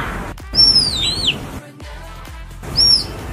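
A puma cub gives high, bird-like whistled chirps that slide downward, over a faint background hum.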